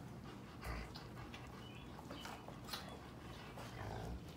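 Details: Visited by their mother Pepper, seven-week-old Sheepadoodle puppies give faint thin whines and soft panting, with brief high squeaks over a low room hum.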